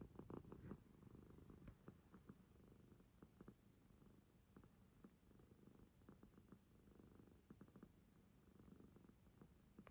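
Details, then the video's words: A sleeping Munchkin kitten snoring and snorting: soft, quiet, breathy rhythmic pulses repeating rapidly, with a few slightly louder snuffles near the start, in a quiet room. "いびき&鼻息さえ可愛い猫 Kitten's funny and cute snoring and snorting"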